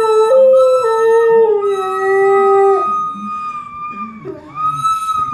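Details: Big dog howling while a boy plays the recorder; a sustained, slightly wavering tone with rich overtones holds for about three seconds and then drops away, under steady, higher recorder notes that continue, dip, and rise again near the end.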